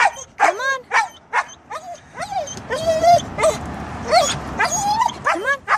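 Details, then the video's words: Siberian husky refusing to jump a foot down out of a car to go to the dog park, giving a stream of short yips, whines and bending, talkative howl-like calls, with faint human voice in the background. "Husky won't get out of the car"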